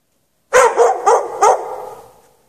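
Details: Barks from a dog chained out in the snow with no shelter for several hours at night on 3 March 2014: four loud, quick barks in a row, trailing off into a fading echo.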